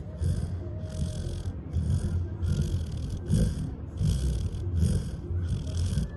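A sleeping Labrador Retriever snores in low, rumbling breaths, each rasping snore coming about every second and a half.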